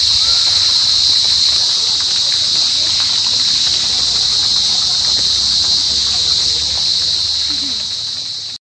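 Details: Cricket of the family Gryllidae giving a continuous, steady high-pitched trill that holds an even level without pause for the whole recording, with no other clear sounds, ending abruptly.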